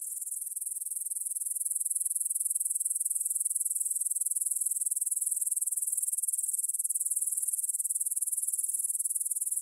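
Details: Meadow grasshoppers near the Svensky monastery in Bryansk, Russia, stridulating at 9pm on 6 September 2020, captured in stereo with a Tascam DR-44WL; a sustained shrill, finely pulsed chirr that swells slightly over the first two seconds, then holds steady.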